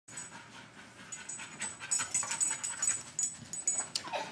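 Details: Dasha, a female Rottweiler almost eight months old, pants after being outside in the heat: quick, breathy, airy bursts at roughly two per second, uneven in strength, with a quiet room behind.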